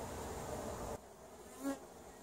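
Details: Honey bees at colonies coming out of winter 2017, inspected for winter mortality; a dense, even buzzing hum for about a second, then quieter with a single bee's rising buzz passing close.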